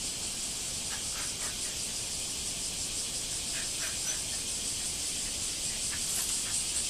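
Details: Cicadas singing in a backyard after several days of rain, a dense, continuous high-pitched buzzing hiss that holds steady throughout, with faint scattered lower clicks beneath.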